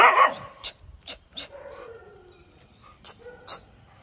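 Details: Active street dogs at night: a loud harsh bark opens, followed by a drawn-out whining tone that slides gently downward, with several sharp clicks and knocks scattered around it in a quiet setting.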